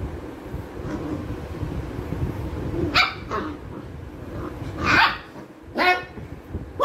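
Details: Labrador retriever puppy barking during play time: a few sharp broadband barks near three, five and six seconds over a low rumbling background.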